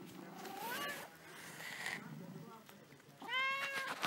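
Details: Restless domestic cat that never stops moving, giving two drawn-out meows, the second higher and more nasal, with a woman talking in Italian around them in a quiet room.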